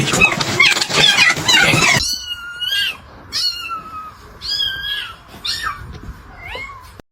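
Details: Domestic cat in a funny-cat compilation giving a string of high, drawn-out meows, some rising then falling, repeated about every second after a burst of loud noise at the start.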